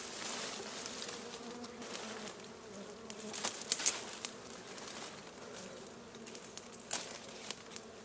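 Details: Honey bees around a wild hive being smoked out with fire for a honey harvest; a steady low droning buzz runs throughout, with scattered sharp clicks and crackles on top.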